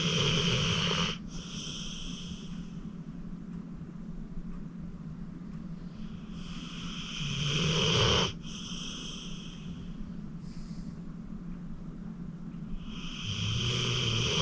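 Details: Snores from Acorn, a sleeping 14-year-old rescue pit bull taken from the Cuyahoga County Animal Shelter; long hissing, raspy inhalations rise and cut off sharply, spaced several seconds apart over a constant low background hum.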